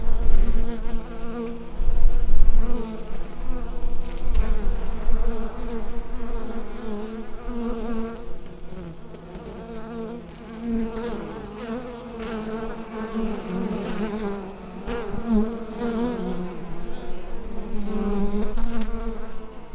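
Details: Hive bees hum together in a thick, low, unbroken buzz, recorded with a Rode NT-USB microphone. The drone pulses gently in loudness, fading somewhat in the middle before strengthening again.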